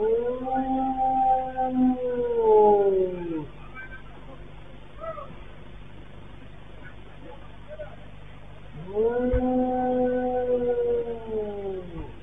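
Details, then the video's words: Dog on CCTV behaving unusually, howling repeatedly just before the magnitude 7.8 Turkey earthquake of 6 February 2023, before dawn. Two long, steady, harmonic howls, each about three seconds and falling slightly at the end, separated by a quieter gap with faint murmur. "video itu direkam dari CCTV memperlihatkan perilaku seekor anjing yang tidak biasa dia melolong berulang-ulang sesaat sebelum gempa Turki"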